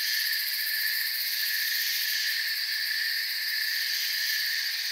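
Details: Crickets chirping in a forest, a dense unbroken chorus of steady high-pitched trilling in several layers, droning evenly with no pauses and no other clear sounds.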